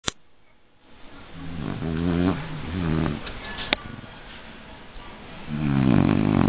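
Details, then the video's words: Shar Pei dog snoring indoors: low, rattling, buzzy snores in two long bouts, the first stuttering through several pulses and the second a steady rough drone near the end, with quiet breathing between. "No dog snores like a Shar Pei"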